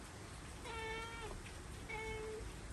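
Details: Pet cat in an old Japanese farmhouse during Typhoon No. 10 gives two drawn-out, level meows, the second shorter, over loud steady wind and rain roar.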